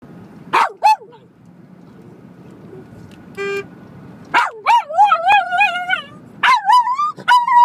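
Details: Dog howling at a car horn: two sharp barks, a brief horn toot, then wavering, tonal howls with rich harmonics and barks between them, the howls rising and falling in pitch.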